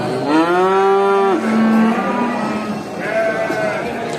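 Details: Cow (Bos taurus), moo.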